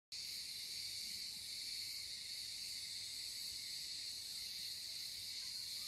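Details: Cicadas in the olive groves around a village house on Rhodes, Greece, in summer, fill the air with a steady, high, sizzling drone that never pauses.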